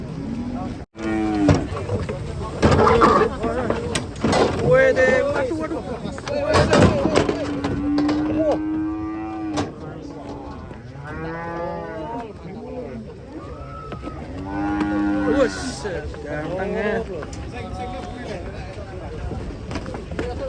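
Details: Cattle in a pen, several cows lowing: a series of deep, harmonic moos, some rising and falling, one held steadily for nearly three seconds, with people talking and clattering in the background.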